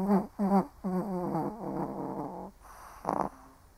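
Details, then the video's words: An elderly Shih Tzu snores while sleeping. Two short snorts lead into a longer, fluttering, rattly breath, then a brief raspier puff after a pause. The tone is low and nasal throughout. "1 Hour of Snoring Shih Tzu (cute/old doggo sleeping)"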